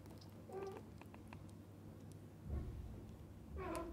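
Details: Cats in a family group with a mother, a father and kittens; three brief, bright meows, one early, one in the middle and a longer wavering one at the end, above a constant low electrical hum.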